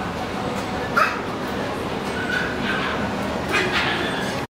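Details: A Pomeranian in a pet shop gives a few short, faint yips and whimpers, at about one second and again near the end, over steady room noise.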